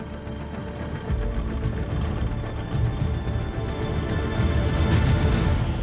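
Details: Dramatic, tense orchestral music with a pulsing low rhythm and no animal sounds.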